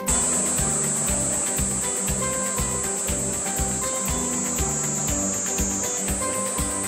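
A Kaempfer cicada gives a continuous, high, hissing buzz that holds steady throughout, over background music with a steady, regular beat.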